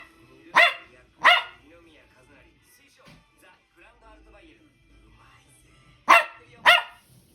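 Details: Toy Poodle, described as a noisy dog, recorded 10 April 2023: two pairs of sharp, loud barks, each pair about half a second apart, near the start and end, with faint speech and soft music between.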